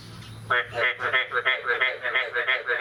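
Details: Frogs calling on the morning of 9 May 2022 after the first rain of the year: after a brief quiet start, harsh nasal croaks with rich overtones repeat about three times a second, each a short rasping burst.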